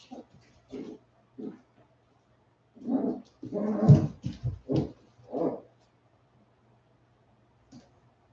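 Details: Forty-seven-day-old West Highland White Terrier puppies after an outdoor break, making low rough grunting and growly huffs in an uneven burst of about six sounds, then quiet.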